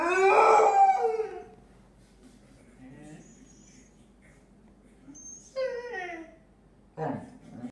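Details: Female Basset Hound playing with her squeaky ball: a loud harmonic howl fades out, followed by quiet rustling, a faint squeak, and two short yelping howl fragments.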